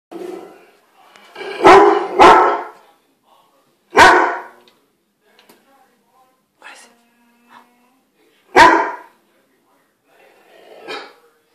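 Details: A Weimaraner gives loud, deep single barks at a ceiling light, alarmed by it, while a woman speaks softly.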